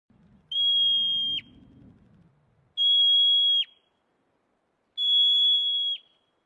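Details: A yellow-bellied marmot, alarmed, gives shrill, steady alarm whistles, each about a second long, repeated every two seconds.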